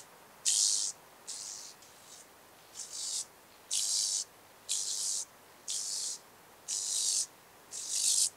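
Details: Speckled buzzing grasshopper, Vorderriss, Germany, 11 August 2022: about eight crisp, evenly spaced rattling bursts, each roughly half a second long, separated by short silences.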